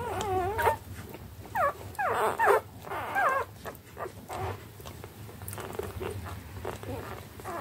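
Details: Litter of eleven three-day-old standard wire-haired dachshund puppies feeding from their mother, giving wavering whines and short squeals early on that give way to quiet rustling and softer whimpers.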